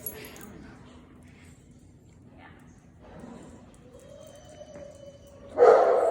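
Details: Small household dogs waiting for Ozzie; a thin, steady, slightly rising whine holds for about a second before a sudden loud, sharp yip, with quiet talk earlier.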